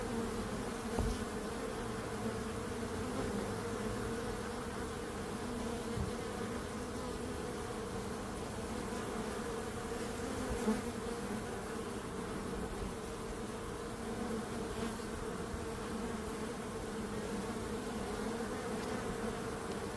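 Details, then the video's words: Long continuous bee buzzing, a steady swarm-like drone with persistent tonal bands, occasional faint clicks or knocks, otherwise unchanging. "Relaxing Calming Bees Sound"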